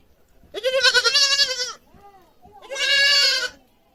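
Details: Two loud, strained bleats from a goat kid screaming, each over a second long with a shaky, trembling quality, separated by a brief softer sound.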